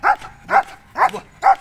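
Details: Amos, an 8-year-old Belgian Malinois trained as an agility and K9 dog, during a training session at a K9 boarding and training school. Four short, sharp barks come evenly spaced about every half second, with little else audible between them.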